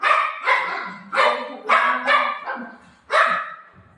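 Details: At home with his owner, golden retriever Buzo gives six sharp, loud barks about half a second apart, alerting that a visitor is at the door. A low rumble follows the last bark.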